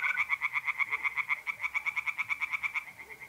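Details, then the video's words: Night-time tree frogs in a North-East Italian pond in mid-April give quick, evenly spaced croaking pulses, about six per second, with a faint mole cricket trill at the start. "relaxing singing tree frogs in pond"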